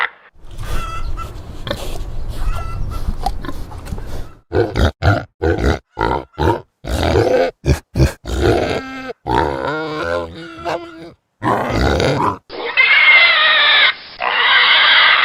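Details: Pigs in a pigsty with a low rumbling grunt, then choppy, rapid grunts and snorts, ending in a loud, sustained shrill squeal.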